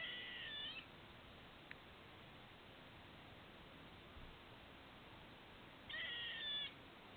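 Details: Squirrel near a patio with apparent hiccups: a short buzzy, high squeak at the start and another about five seconds later, with one sharp click between, over low steady hiss.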